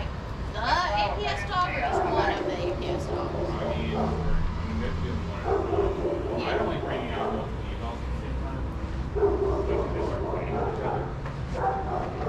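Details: Several adoptable shelter dogs playing together at a daycare, barking and yipping in overlapping bursts over a steady low hum, with the noise of their running and movement throughout.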